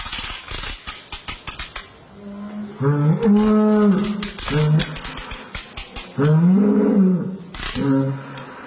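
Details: During calving in the West, a cow gives a few strained, low moos lasting about a second each, amid frequent clicking, clattering and knocking sounds.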